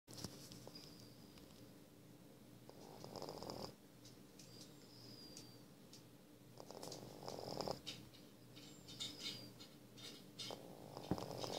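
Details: Sleeping F1 Savannah cat snoring indoors: soft, breathy, rasping bursts that swell every three to four seconds over a steady low hum, with faint hissy overtones on each breath.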